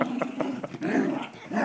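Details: Pet dog spinning in circles while holding onto its ball, trying to bite but unwilling to let go of the ball; low, rough growling in uneven bursts with short pauses, with people talking close by.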